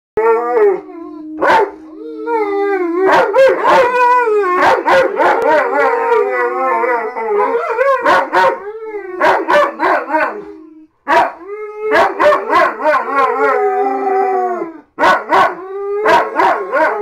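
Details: Two German Shepherds howling together at home, deliberately set going: long wavering harmonic howls sliding up and down, overlapping voices with one steady low tone, broken by sharp yips and short pauses throughout.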